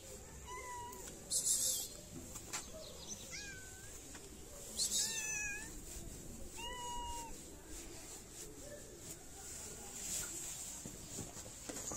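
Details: Hungry stray cats in a Moroccan city meowing for food and attention as their feeder approaches: four clear, tonal meows, each briefly rising then falling, spaced a few seconds apart, with short hissy clattering bursts and steady background hum.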